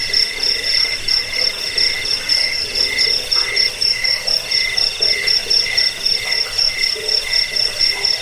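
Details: Cricket chorus for driving off rats, lulling to sleep and training songbirds: a piercing high trill pulses alongside lower ringing tones, all layered without pause over soft background hiss.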